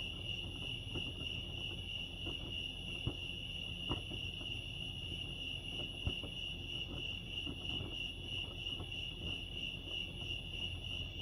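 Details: Cricket chorus at Lake Arrowhead, California: an unbroken, thin, high trill rapidly pulsing on one note, with two sharp taps around the middle and a quiet low rumble below.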